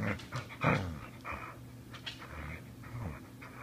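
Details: Ramona, a Border Collie, growls while savaging her rope at home: a low, rough rumble held under the whole stretch, broken by short bursts of panting and rope-shaking noise.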